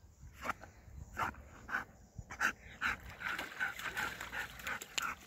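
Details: Ljubica, a nine-year-old Golden Retriever, fetches a wooden stick at a lake. Rough breathy bursts mix with short, thin whimpering tones that grow more frequent toward the end.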